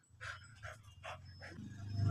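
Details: Mating session of an American Bully stud at Imbalbalatong, Pozorrubio: four short, airy panting bursts about every 0.4 seconds over a steady low rumble that swells toward the end.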